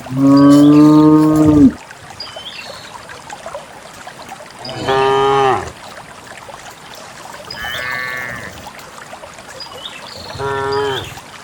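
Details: A herd of dozens of cows heads toward a green valley on a quiet countryside morning, released to graze. A loud, sustained moo opens, followed by three shorter, fainter lows spread over several seconds. Faint bird chirps are also audible.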